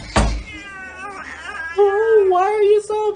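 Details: Domestic cat meowing: a sharp burst at the start, then wavering, drawn-out meows, the longest lasting about a second with a slight rise and fall, ending in a brief final cry; a person talks nearby and faint music plays.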